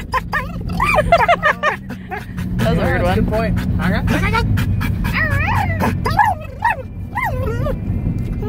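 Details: Pet dog yodeling in a moving car, warbling up-and-down vocal slides in short bursts and trills, mixed with people's voices and a constant low road rumble.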